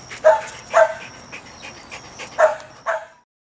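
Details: Pet dog calling toward friends nearby, a series of four sharp high yipping barks in an uneven rhythm, a pair close together then another pair after a pause, ending in quiet.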